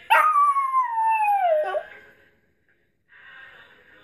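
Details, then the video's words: Pet dog singing along to the song It Gets Better by Mad Child: one long, loud, wavering howl slides slowly downward and breaks off, then the music carries on alone. "Dog singing"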